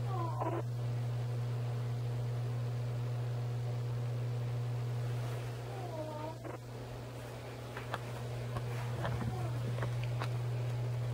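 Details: Domestic cats Emmie, Genevieve and Dottie walking about indoors; two short, bending meows, one near the start and another around six seconds, over a steady low electrical hum, with faint clicks and taps later.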